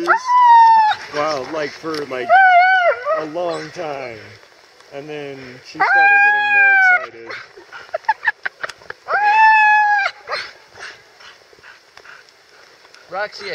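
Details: Female Siberian Husky Roxie, sheltering from heavy rain in Staunton State Park, Colorado, calls eagerly at the sight of horses: repeated drawn-out, high, arching whines about a second long, several bouts across the stretch, with human voices and talk between them.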